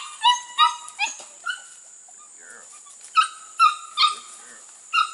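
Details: Registered Border Collie pups from two litters, six to eight weeks old, working goats for the first time in 2019: about eight sharp, high-pitched yips in two bursts separated by a short pause.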